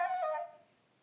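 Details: Moe, a pet Siberian Husky, singing a song for Mishka: one short, tonal, howling note that dips slightly in pitch and fades within about half a second, with no other sound behind it.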